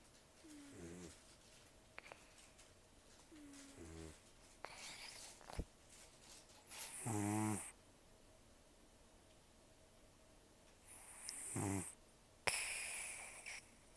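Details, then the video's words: Taro, a rescued cat of roughly 10 to 14 years, breathes noisily in sleep; soft wheezy breaths build into one loud rattling snore, followed by sharp snorting huffs and rustling. "ねこのいびき 猫 いびき"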